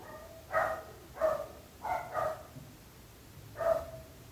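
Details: {'_': "Barking dog heard from a neighbour's property: five short, harsh barks at irregular intervals, two close together, with steady low background noise."}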